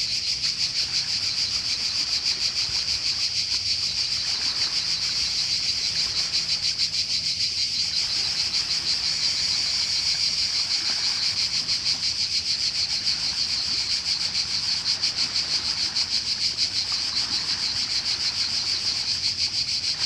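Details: Cicada chorus in Croatia on the coast, a dense continuous buzzing drone with rapid pulsing, steady throughout, faint low wave rumble beneath.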